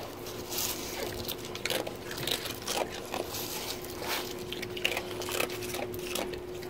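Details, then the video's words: An eight-year-old female rescue sea otter at Vancouver Aquarium, Canada, eats a sea urchin with loud wet crunches and crackling bites over a low steady hum; a playmate nearby also eats an urchin, grunting and chomping. "This Is What Sea Otters Eating Sound Like"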